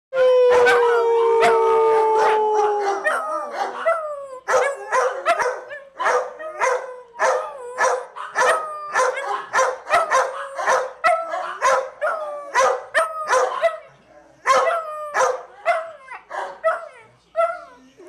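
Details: Basset Hound howling along with the rest of the pack in their nightly chorus; a long steady opening howl gives way to many overlapping yelps and wavering howls from several dogs, continuing throughout.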